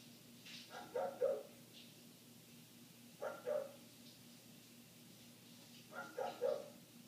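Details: Barking of a neighbour's dog that went on for eight minutes, heard through closed windows: three paired double barks spaced about two and a half seconds apart over a faint steady hum.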